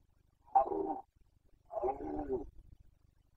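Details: Carpathian red deer stag roaring in the 2021 breeding season, Bucovina. Two harsh, throaty bursts, about half a second and just under a second long, separated by a short pause. Near-silent background.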